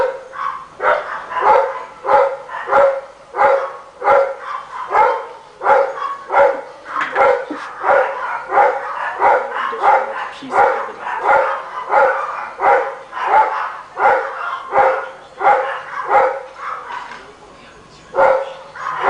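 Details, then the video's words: Rottweiler barking nonstop as heard by a neighbor, a rapid series of deep, harsh barks at about one and a half per second, steady and repetitive throughout. "The sound of this Rottweiler can be heard all day long!"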